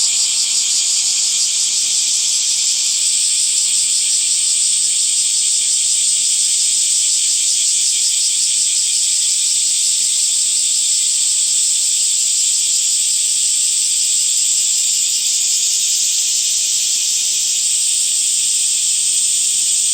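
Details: Dense summer cicada chorus in green trees, a loud, even, high-pitched hiss sustained for twenty seconds with only slight swells in intensity and a faint trembling texture.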